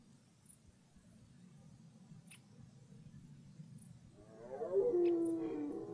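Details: Red deer roaring in woodland as the rut begins. After a quiet stretch of low rumble, a single harsh harmonic roar starts late and swells loudly toward the end.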